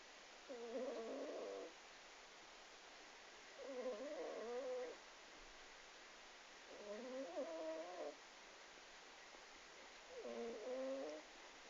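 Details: A sleeping cat snoring: four soft, harmonic, nasal snores, each about a second long, spaced roughly three seconds apart over a steady faint hiss.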